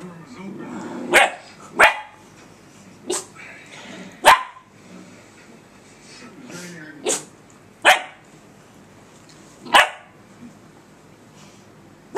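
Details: Faith the puppy yaps at her reflection on a laptop screen; bright, clipped barks come in an uneven run of about eight, with a person talking to her in the background.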